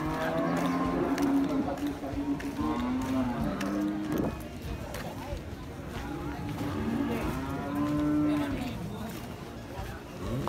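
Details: Cattle at Pasar Muaro Paneh livestock market in West Sumatra, Indonesia: several low, drawn-out moos rise and fade through a dense background of crowd chatter and market bustle.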